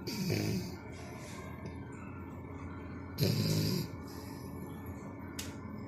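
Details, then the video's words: Four-month-old French Bulldog named Canon snores in his sleep. Two heavy, throaty snores about three seconds apart, each a short rumbling burst with a hoarse, buzzy edge, and quiet breathing between them. "Bulldog francés roncando la mona"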